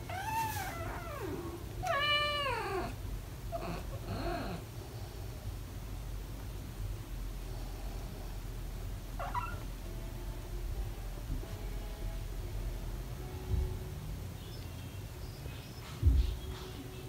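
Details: British Shorthair cat family indoors with four kittens almost five weeks old playing: a burst of three or four high, bending, harmonic-rich meows in the first three seconds, a brief chirp later, then mostly quiet low room rumble.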